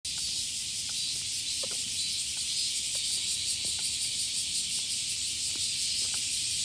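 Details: Cicada chorus on a hot summer morning walk in Japan, with nighttime lows above 25 degrees; a dense, steady buzzing hiss fills the upper range without pause, with faint scattered ticks and clicks beneath.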